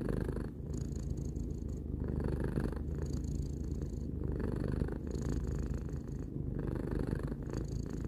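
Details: Continuous low purr from Tarou, a domestic cat aged three, each inhale and exhale giving a soft swell roughly every one and a half seconds, with no other sounds.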